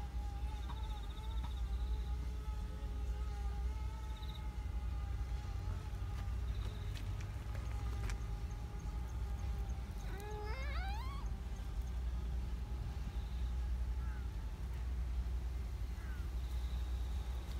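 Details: Black community cat in a park, vocal and affectionate, meowing as it stretches: one rising, harmonic meow about two-thirds through, set against a steady tonal hum and a constant low rumble.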